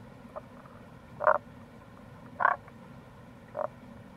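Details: Wild Tago's brown frog in April beside a gorge on the Kamo River in Itoshima, Fukuoka Prefecture, Japan, giving three short rasping croaks roughly a second apart against a faint continuous low rumble.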